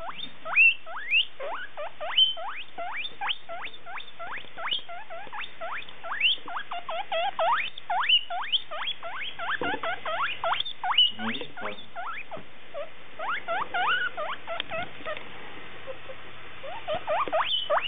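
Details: Male guinea pig seeking a female after smelling her: a long run of rapid, rising squeals and wheeks, dense and uneven, with some lower chirping and rustling mixed in midway.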